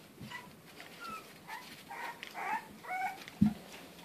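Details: English bulldog puppies raised as house pets in lower Western Michigan, making thin, tonal whimpers and whines, with short rising and falling cries repeated over a few seconds and a soft thump near the end.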